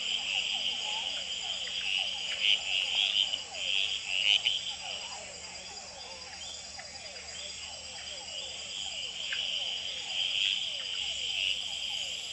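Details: At the Experimental Pond in Gamboa, male red-eyed treefrogs call and fight on a potted plant after dark. Short sharp notes cut through a loud, steady, high-pitched chorus of hourglass treefrogs and other frogs, with quick descending notes pulsing steadily below.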